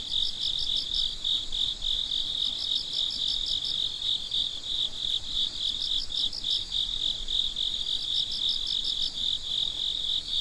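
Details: Many crickets calling in the middle of the night, a bright, even high-pitched buzz overlaid with rapid repeating chirp bursts, steady throughout.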